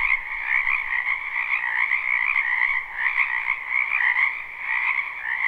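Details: In a spring wetland, a large group of frogs croaks together, captured live without looping; the rapid trills blend into a dense, pulsing drone in two bands, with brief dips and surges in loudness.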